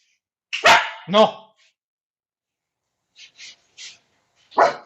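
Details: A pet dog in a training session on problem barking gives two loud, sharp barks about half a second apart. Faint short sounds follow, then a louder burst near the end.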